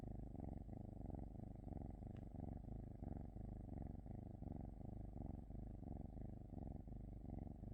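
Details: Cat purring closely, a deep throbbing hum pulsing in regular short breath cycles, with one faint click partway through.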